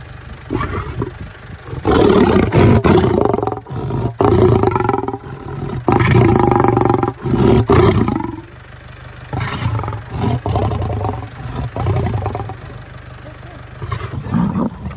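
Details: Lion roaring and growling in rough, rasping bursts that repeat every second or two, loud and broadband, with a low rumble running underneath throughout.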